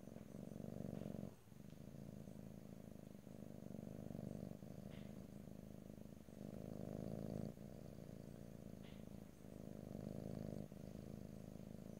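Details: A domestic cat purring close to the microphone, recorded in stereo with no talking: a steady low rumbling purr in long stretches, breaking into new breaths roughly every one to three seconds, with faint soft clicks.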